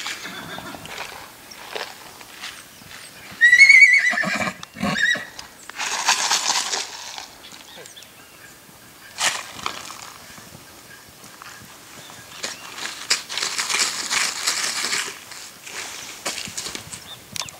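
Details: Six-month-old purebred Lusitano horse at a stud farm, letting out one short, high, shaky whinny early on, followed by loud rustling, thumps and broadband handling noise outdoors.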